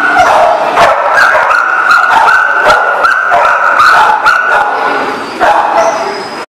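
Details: Numerous dogs yapping and barking at once in a dense, overlapping chorus, rapid irregular barks with whimpers mixed in and a steady tonal hum beneath, ending abruptly.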